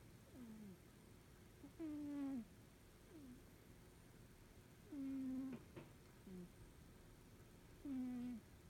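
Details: Norwegian Forest Cat asleep indoors, snoring: a low moaning tone that slides downward on each breath, roughly every one and a half to three seconds, louder bursts alternating with softer ones over a quiet background.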